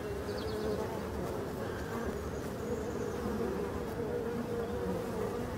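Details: European dark bees at hives on 5 February 2022, coming out in sunshine and bringing back pollen, with drones on the landing board; steady low droning hum of many bees, continuous without breaks.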